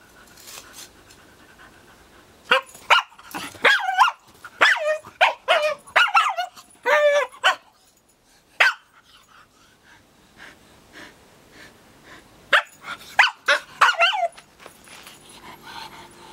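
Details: A Hokkaido (Ainu) dog barks in rapid, harsh bursts, pauses, then barks again while training against a real brown bear's paw.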